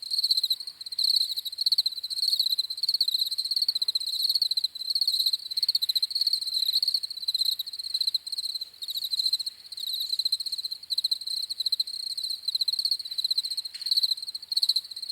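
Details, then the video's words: High, piercing cricket chirps pulse on continuously, with short trilled bursts from more than one insect blending into a steady shimmering chorus. There are no other animals or noises. "CRICKETS CHIRPING SOUNDS"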